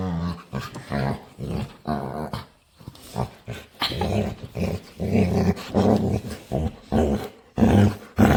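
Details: Playful pet dog indoors begging to play, making low rumbling growls and grumbling noises in short bursts, roughly a dozen vocal bouts with brief pauses, a person occasionally heard in the room.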